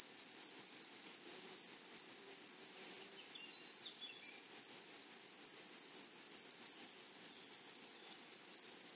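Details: Prairie grasshoppers chirr in dense, shrill pulses, a continuous high buzz broken into quick bursts, while a faint descending note briefly sounds beneath it midway.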